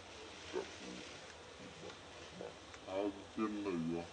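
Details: Baby monkey Briar nursing on mother Brianna around Angkor Wat, wild in natural habitat; a few faint notes early, then two louder, wavering harmonic whimpers near the end, the last one bending downward.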